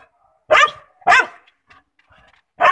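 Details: Labrador Retriever puppies offered in Amritsar, India; three loud, sharp barks about half a second apart, then a pause with faint yips before the third bark.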